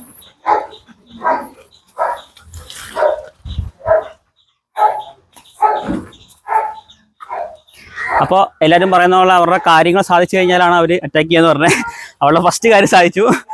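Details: Leashed dog described as one that bites and tears, in an unleashing challenge; short harsh barks repeated roughly once a second for the first seven seconds, then a man talking over the last half.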